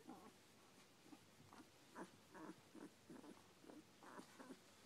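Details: Eleven-day-old Smooth Collie pups piled together give a steady string of short, hoarse grunts and little whimpers, about two or three per second, with soft snuffling between them.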